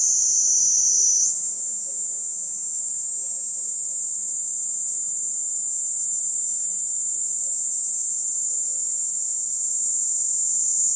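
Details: Cicada calling: a steady, unbroken high-pitched whine held throughout, stepping up slightly in pitch near the start and then staying level; faint low background hum, no other clear sounds.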